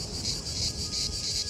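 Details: Cicada in India's deciduous forests in summer heat: a shrill, continuous high buzzing that swells and dips in regular pulses about every third of a second, with a faint steady low tone beneath.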